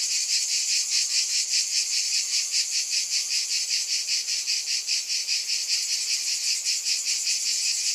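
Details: Cicadas drone in a continuous high sizzle, beating in quick regular pulses about two and a half times a second, unbroken and steady throughout.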